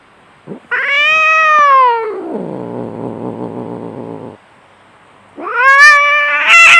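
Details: Fierce fighting cats: a loud yowl slides down into a throaty growling moan, a brief silence follows, then a fresh shrill yowl climbs and holds at the end.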